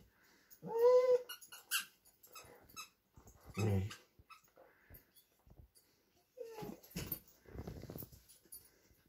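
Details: Vizsla versus Doberman in indoor play over a prized new toy; a clear high whine early on, a low growl, then a shorter whine and scuffling noises.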